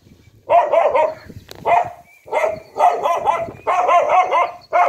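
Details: Dog barking among buffalo and cows: bursts of rapid, rough barks in clusters of three or four, separated by short gaps, filling the recording with little else audible.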